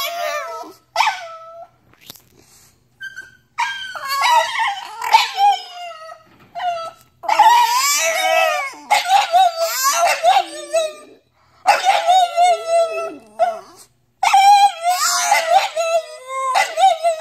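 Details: French Bulldog 'talking' in a drawn-out, wavering howl-like voice, bursts of whimpering yips and warbling moans of several seconds each, separated by brief pauses, loud and dominant throughout.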